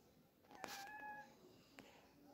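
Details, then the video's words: Kitten playing early in the morning gives a single short meow, a clear tonal note holding steady for about half a second, with faint indoor room sounds and a soft knock afterward. "Funny Kittens playing Early In The Morning"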